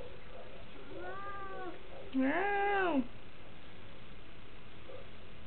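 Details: Domestic cat indoors in a house in DC in winter 2010. A soft, drawn-out meow is followed by a louder, rising-then-falling meow lasting nearly a second, with rich harmonics over a quiet room background.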